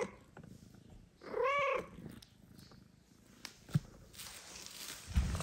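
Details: A mother cat with newborn kittens asleep nearby asks her owner to pet her: one loud, arched, tonal meow rising then falling, followed by quiet rustling and a few soft knocks.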